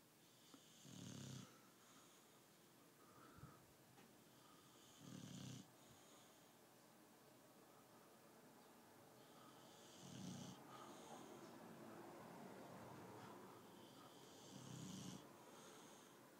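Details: Tyson, a British Bulldog dozing indoors, snores in four short low grunting bursts spaced about four to five seconds apart, with quiet breathing in between.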